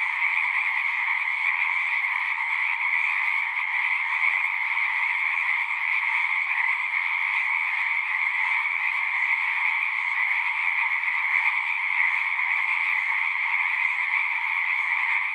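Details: A steady, high-pitched chorus of many frogs calling together at a pasture pond for horses, recorded on a Zoom 6, droning evenly without pause and with no other sounds.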